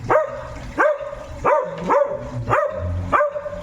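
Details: Noisy dog giving a steady series of six harmonic barks, roughly one every 0.6 seconds, each with a sharp onset and a sustained tonal tail, over a low rumbling background.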